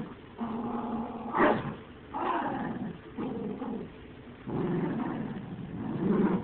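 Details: Dogs growling and snarling in rough interplay, a low rumble broken by sharp louder outbursts and brief yip-like spikes, with short gaps between bouts.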